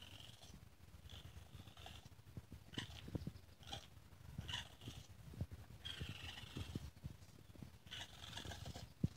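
Young raccoon giving short, high chittering squeals in bursts over soft, low snuffling and rumbling sounds.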